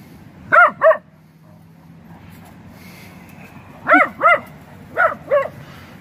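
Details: Great Dane barking indoors in three bursts of paired, clear harmonic barks, each pair a quick double woof with the bursts spaced about a second apart, over a quiet room hum.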